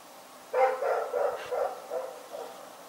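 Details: At night, the dog Rex gives a quick run of about six mid-pitched barks in under three seconds, the first loudest and the rest fading slightly, over a quiet background.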